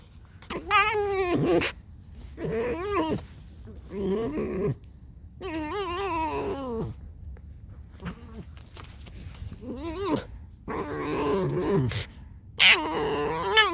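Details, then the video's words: Alice the pet fox squeaks repeatedly indoors. Bursts of quavering, whiny squeals rise and fall in pitch, about one every second or two, some harsh and strained, with short silences between them. "Алиса - лиса. Просто скрип."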